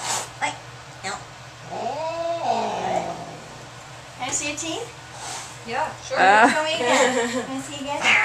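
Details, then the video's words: Angry domestic cat being examined and vaccinated yowls in drawn-out, bending moans, then a rapid burst of shaky cries, while people speak over and between the calls. "Angry Cat"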